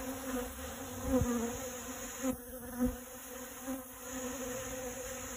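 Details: Honey bee collecting pollen from dragon fruit flowers, a steady low droning buzz with a humming overtone throughout, broken by a few brief louder thumps near the start and middle as it moves among the blossoms.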